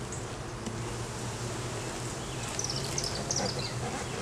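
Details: Honey bees humming at an open hive during an inspection in the beeyard where a laying queen was found; a continuous low droning buzz, with brief high bird chirps near the end.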